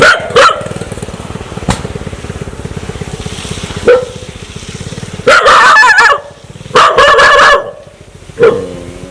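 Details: Dog acting aggressively, wanting to bite: harsh, wavering barks in irregular bursts. Some are long and throaty, sliding in pitch, and they are separated by short low growls over a steady background rumble.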